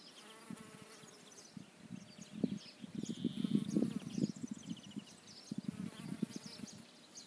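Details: Bee hovering around flowers in search of nectar, a low droning hum that swells and fades as it moves closer and away, with faint high chirps and background noise.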